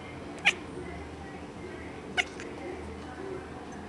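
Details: Female pet cat making unusual bark-like sounds: two short, sharp, abrupt bursts about 1.7 seconds apart over a quiet, steady room hum.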